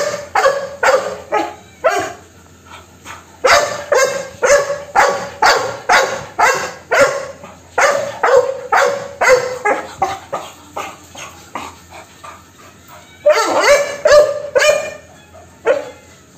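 A Labrador Retriever barks in rapid, loud bursts, roughly two barks every second.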